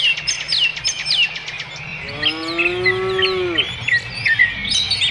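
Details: Cow on pasture giving one drawn-out, level moo lasting about a second and a half, set against constant busy chirping and whistling of songbirds.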